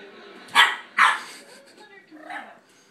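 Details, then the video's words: Boston terrier puppy barking at a cat: two sharp barks close together near the start, then a fainter yelp, over a quiet room. "Puppy barking at cat"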